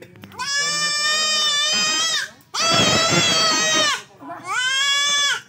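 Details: Male goat being castrated, giving three long, loud, harsh wavering bleats, each one to two seconds, separated by short pauses, with a man's voice heard faintly underneath.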